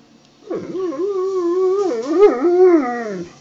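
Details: A hungry Alaskan Malamute vocalizing while being told to lie down: one drawn-out wavering whine-howl of about three seconds that rises and falls in pitch, with a brief yip-like break near the end.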